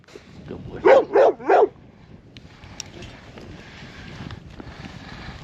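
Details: Dogs on a ranch being brought in from the dog run while it snows: three loud, evenly spaced barks early on, then steady outdoor rumble and rustling with occasional clicks.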